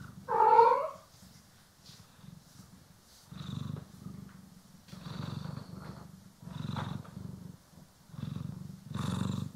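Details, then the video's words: Domestic cat, one of the pair Poki and Kiwi, purring while being groomed and brushed, recorded in stereo: a short harmonic meow opens, then low rumbling purr bursts pulse on and off with quiet gaps between. "CAT ASMR | Purring, Grooming & Brushing"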